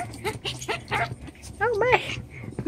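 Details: Playful seven-week-old chocolate brown Toy Poodle puppies in an enlarged pen give a quick series of high, wobbling yips and whimpers, rising and falling in pitch, with steady room hum underneath.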